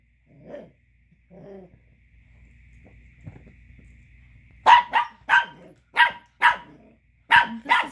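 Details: Angry male Chihuahua pup barking because a female dog is chewing a tiny bone he wants, though he has three others; after soft muffled sounds, a burst of about seven sharp, high yapping barks fills the last three seconds.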